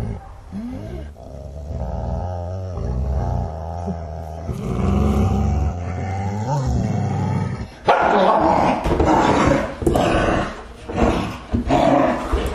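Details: Two dogs working themselves up for a confrontation: long, low, rumbling growls with wavering tone for about eight seconds, then louder, harsh snarling bursts and abrupt barks in quick succession.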